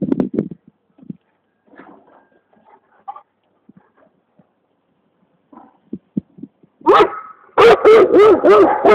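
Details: Quiet shuffling and faint small noises give way to a Komondor named Alma barking, about four loud, full, evenly spaced barks in the final two seconds.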